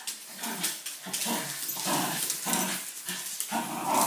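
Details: Wire Fox Terrier indoors, playing excitedly with a broom; low rumbling growls in repeated bursts about every half second, with scraping and rustling noises throughout.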